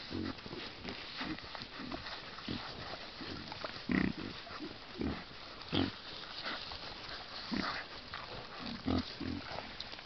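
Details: A sounder of wild boar in woodland by a stream: low, rough grunts come in short bursts roughly every one to two seconds, some louder and closer, over constant rustling of animals moving through the undergrowth.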